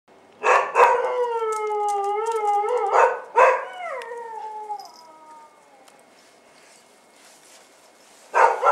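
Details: Bull Terrier puppies on their first outing, 18 January 2015: long harmonic whines rising and falling, a sharp yelp at the start, another near three seconds, then trailing off into quiet before a final yelp.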